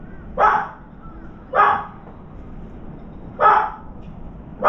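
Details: A dog barks while a round-foreheaded crow sits on the left side of a veranda; four loud, abrupt barks roughly every second, with quiet hiss between them.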